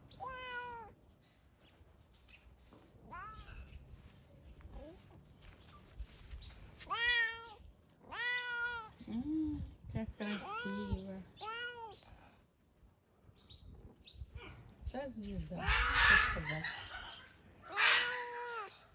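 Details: Domestic cat in summer, enjoying warm weather at a house shared with many animals, gives a long run of arched, harmonic meows, some drawn out and rising then falling, others short and clipped, with a woman's voice talking.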